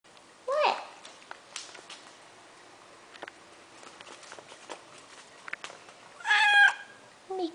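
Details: Deaf pet kitty indoors demanding attention: a short rising meow near the start, faint soft noises, then a louder harmonic cry later, with a woman's voice speaking softly.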